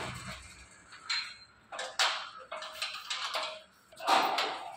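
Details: Voices and clattering, door-like knocks indoors, with no animal call standing out.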